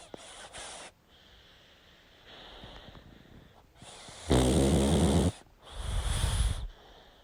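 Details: Snoring of a sleeping pug: soft breathing at first, then one loud grating inhalation followed by a rough, rumbling exhale near the end.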